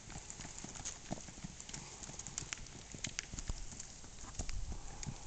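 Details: Tennessee Walking Horse stallion's hoofbeats: sharp, uneven clip-clop strikes, several per second, fairly soft over a steady background hiss.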